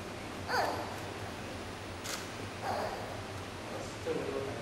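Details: Female giant panda cub Yuan Zai, 39 days old, at Taipei Zoo, fussing and crying in the early morning on her first reunion with mother Yuan Yuan in the den; brief high squeals break out at irregular intervals over a low indoor hum.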